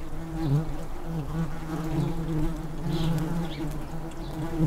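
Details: Tree bumblebees in a nest built in an unused blue tit nestbox in a garden, a bee by the entrance fanning to cool the nest on a hot day; steady low droning buzz with wavering pitch, continuous throughout.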